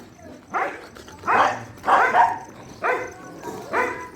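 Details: Shelter dog at night feeding time barking five times, each bark harsh and emphatic, spaced roughly three-quarters of a second apart over a steady faint background hiss.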